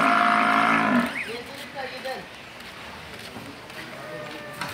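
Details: Cow at a Bangladeshi dairy farm, two cows being sold to a Patuakhali buyer: a loud, low harmonic moo opens the moment and breaks off after about a second, followed by faint voices and background chatter.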